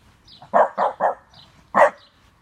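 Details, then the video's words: A 12-month-old French Bulldog in its first try at howling gives three short, rich, yelping bursts in quick succession, then a pause and a fourth louder, more strained burst, against a quiet indoor background. "French bulldog first jawling"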